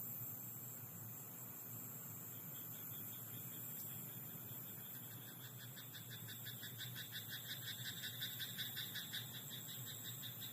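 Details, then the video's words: Night rice-paddy frog: pulsed, rattling croaks start softly midway and build into a loud rapid series near the end. A continuous thin high whine and a low hum run underneath throughout. "田んぼのカエル "Croaking frog in rice paddy at night""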